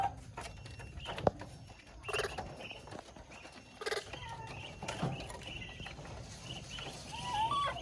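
A young monkey calls for its mother with thin, high whistles that waver up and down, the clearest coming near the end. Soft knocks, taps and rustling fill the gaps between calls.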